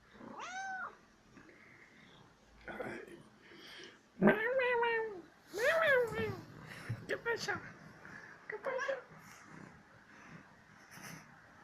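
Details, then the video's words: Playful one-year-old female cat seeking petting calls with a high short meow, then loud, long wavering meows and quick stuttering trills, followed by a few soft chirps, in a quiet room. "Funny little CAT that makes CUTE sounds"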